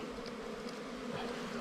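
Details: A honey hunt at a wild bee nest: the bees give a dense, steady, low-pitched hum, level and unbroken through the brief moment.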